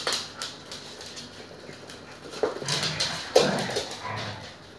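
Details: Siberian Husky mother playing with her puppies gives brief whimpering yips and soft grumbles amid scuffling noises.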